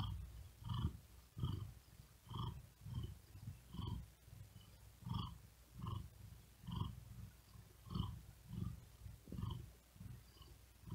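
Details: Tired domestic cat resting on a wooden desk in very hot weather, breathing quickly with effort and purring; low rasping pulses repeat steadily about every 0.7 seconds, each with a soft higher breathy edge.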